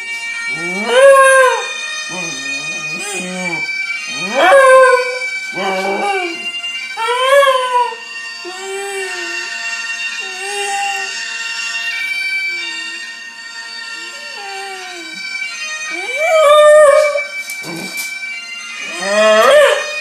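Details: Young Scottish Terrier named Gilmour, nine months old, howling to Scottish bagpipers: repeated short rising-falling howls and yips in bursts, interrupted by quieter stretches where the bagpipe drone and melody carry on, ending with more loud howls.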